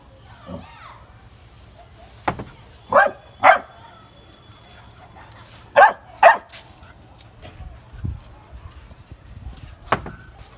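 A Labrador retriever puppy gives sharp, high barks, mostly in quick pairs.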